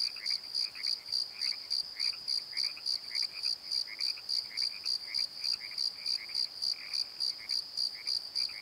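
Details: Crickets at night in a valley bottom at the Pozo tree, sharp high chirps pulsing steadily near three per second over a busy layer of quieter lower chirps from other night callers.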